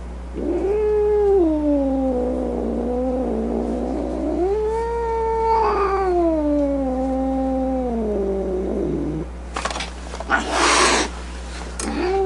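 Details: Angry domestic cat producing two long, rising-and-falling moaning yowls over about nine seconds, followed by sharp noisy hiss or spit bursts and the start of another yowl; constant low electrical hum.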